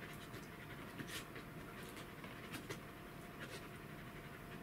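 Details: Welsh Corgi recorded on 2 July 2016, breathing in quick, rhythmic pants. Short breathy puffs come in uneven runs over a low background rumble and a thin constant hum.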